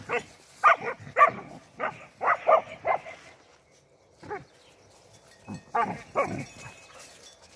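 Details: Spanish Mastiff on a farm on 17 January 2021, out in the cold after a morning frost. Loud, harsh barks come in irregular bursts, several close together, then a pause and another short volley.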